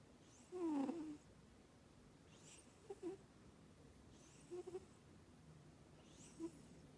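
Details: Sleeping female British Shorthair cat snoring at home: one louder low, wavering murmur near the start, then soft airy breaths about every two seconds, each with a faint short tonal snore.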